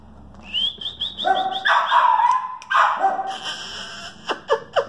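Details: Male West Highland White Terrier puppy, two and a half months old, gives short yappy barks and whiny yelps in bursts, some harmonic and rising, over steady high chirping birds in the background.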